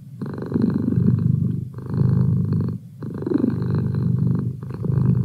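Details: Pet cat Merlin purring contentedly; rhythmic low rumbling in about four surges, each lasting roughly a second and a half with short soft gaps as the cat breathes.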